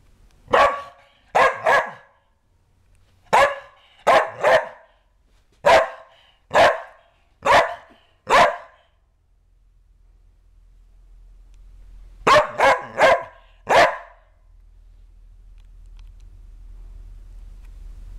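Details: Kerry Blue Terrier named Ronan barking after a bath, loud clipped barks often in pairs, a run of about eleven, a long pause, then a quick burst of four, with low background hum.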